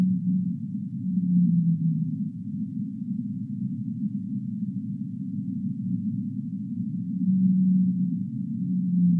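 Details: Whale moans: a low sustained tone opening the recording and sagging gently in pitch, then steady deep rumble, with two more held low moans returning after seven seconds.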